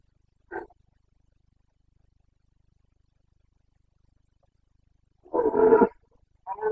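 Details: Rutting Carpathian stag, Bucovina, breeding season 29 September 2022: a brief grunt, a long pause, then one gruff, harmonic roar lasting about half a second and the start of another.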